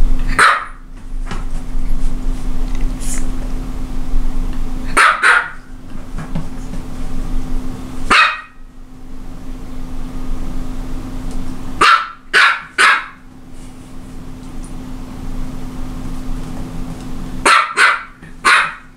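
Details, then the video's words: Repeated barking from a Japanese Chin: bright, sharp single and double barks in clusters spread over nineteen seconds, separated by silent gaps, with a faint steady hum beneath. "Japanese chin is barking Японский хин лает"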